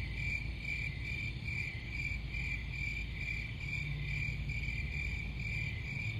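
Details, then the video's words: High, evenly pulsed cricket chirps run continuously at a fixed pitch above a steady low rumble. "Crickets Sound"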